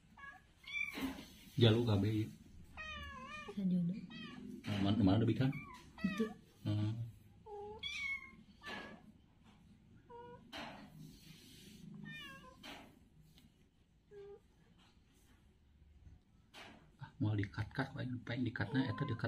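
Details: Playful domestic kittens on the ground, giving a run of short, rising and falling meows, several in quick succession, with people talking in Indonesian throughout and a quiet stretch in the middle.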